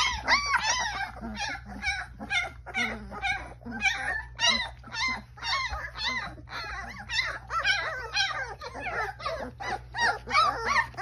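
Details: Young Newfoundland puppies crying together indoors, dense overlapping high whines and squeals arching up and down, several pups at once, faint speech in the background and a constant low hum.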